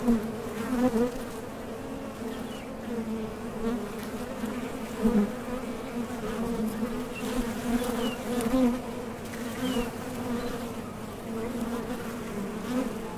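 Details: Foraging honey bees coming and going at a top bar hive entrance, wings driven by their thoracic muscles; continuous low humming drone with repeated louder swells as individual bees fly near.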